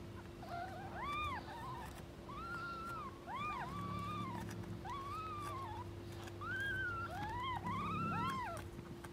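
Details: Stray street cats, an angry mother cat guarding her kittens and keeping anyone from approaching; a run of arched, rising-then-falling meows, several overlapping and repeated over about nine seconds, over a steady low hum.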